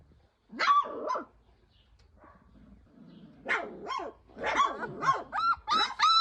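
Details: Georgian Shepherd puppies, offered from Sagarejo, Georgia, giving short high yelps and barks in bursts, some with a steady whistled tone, between quiet gaps while a person talks to them.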